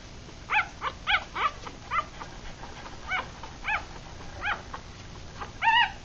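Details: Six three-day-old puppies, a Rat Terrier and Chihuahua cross with eyes still closed, feeding; high squeaky whines and yips come in short bursts about every half second to a second, with soft rustling between.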